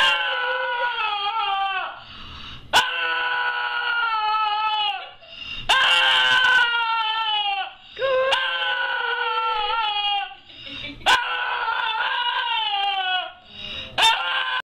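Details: A dog making a weird, drawn-out crying howl, long wavering tonal wails of about two seconds each that slide downward in pitch, broken by brief gaps and short sharp clicks.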